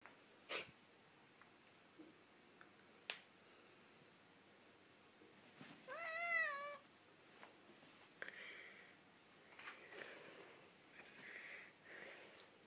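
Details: Domestic cat giving a single drawn-out, tonal meow that rises then falls, set in a mostly quiet indoor space with scattered faint knocks and rustles before and after.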